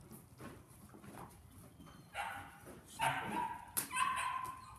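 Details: Male KNPV Belgian Malinois puppy, son of Berry2, during foundation training, gives a few short, sharp barks and yips in the second half, one with a sustained whiny tone, after a quiet start.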